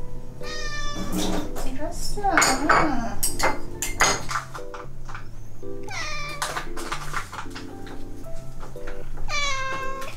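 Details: Ragdoll cat indoors, from a household of eleven ragdolls, following its owner around; several drawn-out, wavering meows, some rising then falling, over steady background music with occasional voices.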